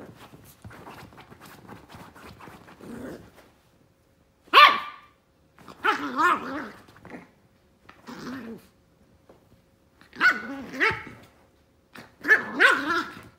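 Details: A toy fox terrier digging at his new bed after soft scratching, then lets out bursts of growly, harmonic barks, five rough volleys spaced about two seconds apart, playful and insistent.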